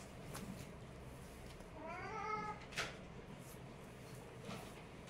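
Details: Kittens in a cute fight; one drawn-out wavering mew near the middle, flanked by sharp clicks and scuffling thumps of the play-fight against a steady low background hum.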